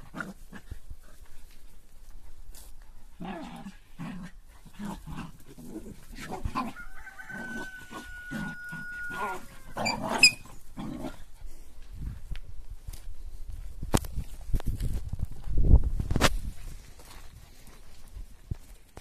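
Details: Five Corgis let out to run and exercise: a quick series of short, repeated yelping barks in the first few seconds, then the thumps and scuffles of paws and footsteps.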